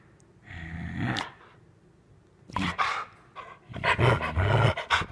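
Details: A female Rottweiler pretends to attack her owner during play, letting out a low rumbling growl, then after a pause a burst of rough snarling growls mixed with a man's coaxing speech.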